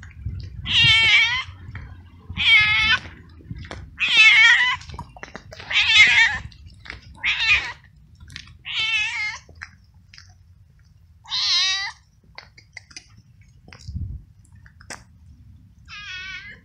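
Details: Hungry male stray cat, wet from rain and cold, meowing very loudly while following someone with food; around nine strong, wavering meows in a steady series, spaced about every one and a half to two seconds, then a pause.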